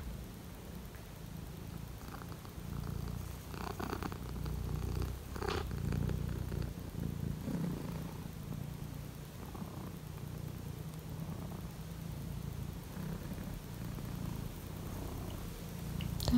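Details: Indoors on a cold morning, a pet Siberian lynx purrs while Misa climbs into a shelf; a deep continuous purr swells in the middle, with a few rustles and soft thumps around it and a sharp click at the end.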